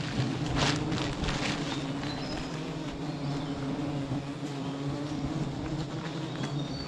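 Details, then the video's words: Low continuous humming of bees at a tree with eleven hives, a dense even drone with occasional crisp taps and rustles mixed in, strongest in the first second. "Hit this beehive tree 11 hives , will this nest bee in 2023"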